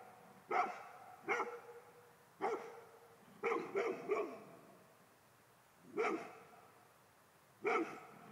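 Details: Male Golden Retriever barking in short, sharp bursts, single and paired barks spaced irregularly about one to two seconds apart, each bark bright with layered overtones; quiet room otherwise.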